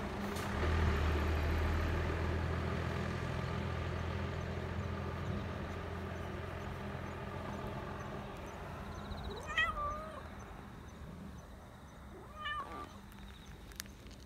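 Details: Black Persian cat living as a stray in a park, happily rubbing against someone despite an angry-looking face; two short rising-then-falling meows near the end, after a long low rumble of passing vehicle traffic.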